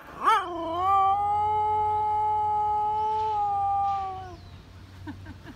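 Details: Joy, a pet dog, howls along to the 5 p.m. evening chime playing 遠き山に日は落ちて, matching its pitch: a sharp rising onset, then a long steady tonal howl held about three seconds before fading, with a faint low hum beneath.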